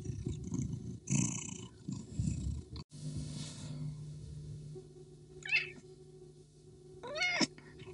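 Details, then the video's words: Fight between a male Persian cat and the female street cat he keeps chasing, she answering aggressively: rumbling growls at first, then a steady low drone, then two short, sharp, wavering yowls near the end. "Female street cat is being chased by a Persian Cat | Cat Fight"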